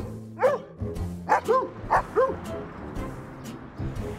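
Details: Domestic dogs barking in the village of Feuquières, where the noise is driving the residents mad; several short, sharp barks come in quick bursts over a few seconds, with music playing underneath.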